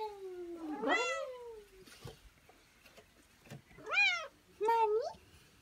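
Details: Domestic cat meowing indoors to ask for play, giving three clear harmonic meows: a long rising-then-falling one, a second arched meow, and a shorter bent one, with a soft click between calls.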